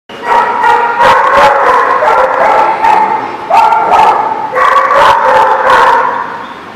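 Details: Dogs barking at a barking lot in a loud, continuous overlapping chorus of sharp barks and yips, with howl-like tones layered throughout.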